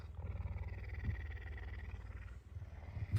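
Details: Hungry captive male puma purring in the early morning while pushing under a blanket to ask for food; continuous low, throbbing rumble with rapid regular pulses and faint rustling.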